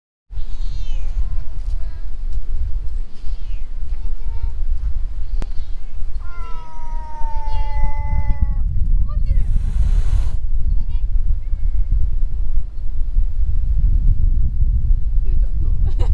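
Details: Stray domestic cat approached in a park: a long drawn-out meow with clear stacked harmonics, then a loud breathy hiss burst, with a few short softer mews, over constant loud low-pitched wind or traffic rumble.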